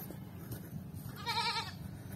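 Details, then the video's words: Goat on a farm, given water to help it grow: a single short, quavering bleat in the middle over a low background hum. "Magpainom Muna Tayo sa kambing upang lumaki"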